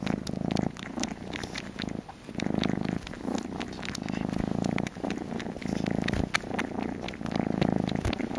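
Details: Baby kitten wanting a bottle, nestled on a shawl, purring in loud low pulsing bursts with short pauses between breaths; a woman's soft voice briefly heard.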